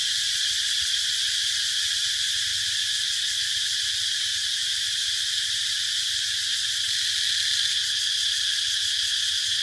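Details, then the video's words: Steady, piercing cicada drone filling the whole stretch, loud and unvarying, with a soft low rumble below. "Cicada sound"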